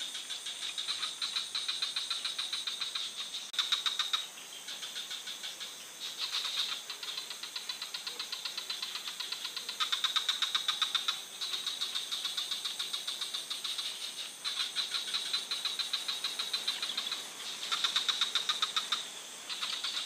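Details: Rapid clicking rattles from a frog in a forest, repeated in bouts of a few seconds with short silences between, loudness swelling and fading, over a continuous thin high hiss.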